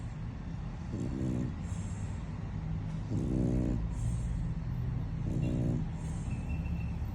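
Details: French Bulldog asleep and snoring loudly, worn out after hard play; low rumbling snores with rattling bursts roughly every two seconds over a steady low hum.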